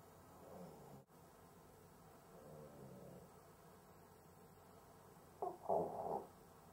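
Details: Sleeping Cavalier King Charles Spaniel struggling to breathe; after quiet, faint wheezy breathing comes a sudden pair of loud, rough snorting gasps near the end, set against low indoor room hum.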